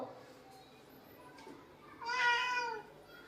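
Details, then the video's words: House cat that asserts its claims, producing one drawn-out meow of about three quarters of a second with bright stacked harmonics that bend slightly downward, after a near-silent stretch with faint background noise indoors. "हक्क आणि अधिकार गाजवणारं मांजर"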